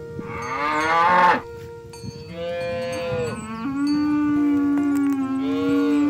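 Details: Cow being herded through muddy fields toward the pen, calling to its companions: a loud, harmonic-rich moo in the first second, then softer drawn-out lowing over steady musical tones.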